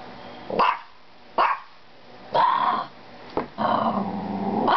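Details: Pet Maltese dog giving four sharp, loud barks spaced roughly a second apart, each a short noisy burst with a bright tonal core, quiet pauses between them.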